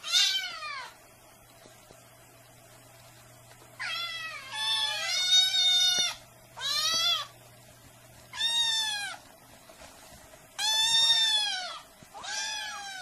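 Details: Domestic cat meowing incessantly, strained harmonic meows arching and wavering, given roughly every two seconds with quiet gaps and a faint low hum beneath.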